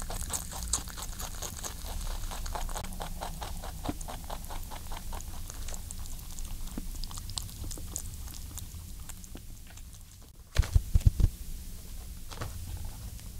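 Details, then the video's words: Pet rabbit Ayin eating indoors, chewing and licking at close range: rapid soft crunchy clicks about twice a second, fading toward the end, then a few louder knocks and thumps near the eleven-second mark. "What a Rabbit Licking Sounds like?"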